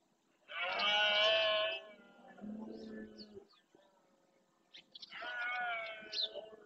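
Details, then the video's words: Berrea of red deer in the Doñana marshland, Spain: a rutting male roars to claim territory, a long loud harmonic bellow followed by a lower groaning tail, then a second shorter roar after a pause. "BERREA EN ESTADO PURO"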